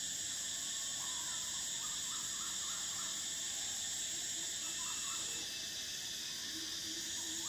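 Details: Cicadas singing in summer: a dense, steady high-pitched shrill drone that drops slightly in loudness about two-thirds through, with faint short chirping calls of other animals beneath it.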